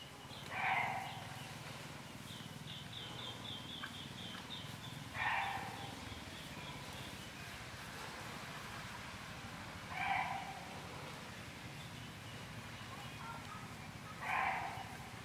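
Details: A white sambar deer gives short, loud, honking calls, one every four to five seconds.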